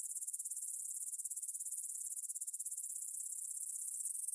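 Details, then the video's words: Field of grasshoppers stridulating on the evening of 6 September 2020, 9pm, near the Svensky monastery in Bryansk, Russia, Tascam DR-44WL stereo recording: continuous high, fast-pulsed rasping with a fluttering, slightly uneven beat and no other sounds. "Звук для сна: кузнечики на лугу – Grasshopper Sounds in the Field for a Quick Sleep"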